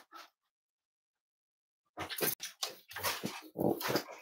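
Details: Cavalier King Charles Spaniel puppies snuggling indoors at home; a brief soft sound, a pause, then a run of soft whimpers and little grunting yips closely packed in a small room.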